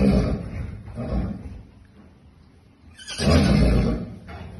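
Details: Wild horse mare calling: a rough, broadband burst at the start, a shorter similar burst about a second later, then a louder, longer harsh call after three seconds, with a brief softer note near the end.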